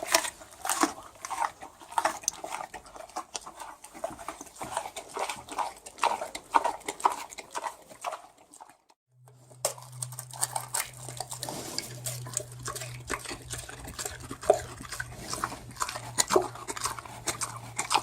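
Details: A pig munching its food, continuous crunching and smacking clicks that stop briefly around the middle and then resume alongside a faint low hum.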